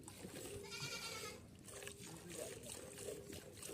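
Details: Kathewadi goat during live hand milking, giving one short harmonic bleat of under a second, steady and slightly nasal, over continuous rhythmic hissing of milk streaming and low background murmur.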